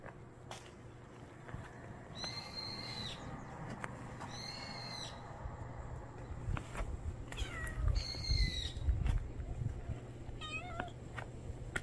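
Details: Stray cat giving three drawn-out, slightly wavering meows spaced a few seconds apart, fairly quiet against a steady low background hum with faint clicks and rustles.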